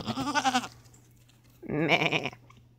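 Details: Domestic goats: two quavering, nasal bleats, each under a second long with a rapid wobble in pitch and separated by a short pause. A low steady hum runs underneath.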